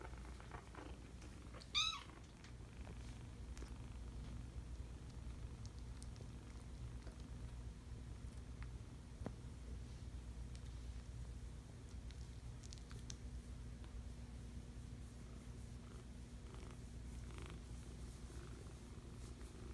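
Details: Purring five-week-old kittens, a continuous low rumble carrying on for the whole stretch, broken early by one sharp, strained meow, with light scratching and rustling in the background.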